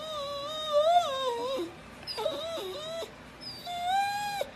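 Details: Dog howls in three wavering stretches: a long quivering tone that drops at its end, a shorter broken cry, then a steady held note; low background hum.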